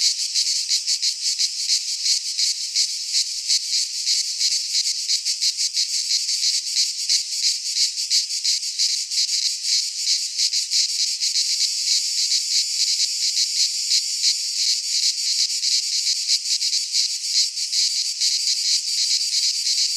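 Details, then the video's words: Greek pine forest cicadas in midsummer: an unbroken, high, sizzling drone throbbing in quick pulses, evenly loud from start to end, the insects the only sound present. "Cicadas singing in midsummer - Nature sounds from the Greek fauna - Sounds of cicadas"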